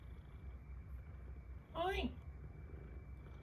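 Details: Domestic cat with eye discharge gives one short, falling meow with stacked harmonics midway. A steady low purr-like rumble and room hum run throughout, and a faint constant high tone sits in the background.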